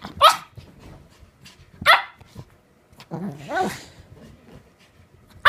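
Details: Petit Brabançon dog playing, barking sharply three times, spaced roughly 1.6 seconds apart, with a lower drawn-out growling whine in between and quiet background noise.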